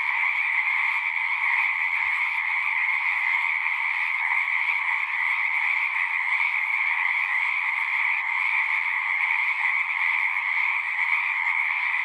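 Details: Many frogs calling together at a pond within a horse pasture, Zoom 6 recording: constant massed trilling in two pitch layers, unwavering in loudness, with a few soft low knocks early on.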